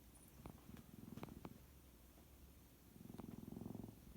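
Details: Sleeping white pet cat, possibly sleep-talking or snoring, makes soft, rapid, low rumbling pulses in two bouts separated by a quiet gap, with a few faint clicks in between.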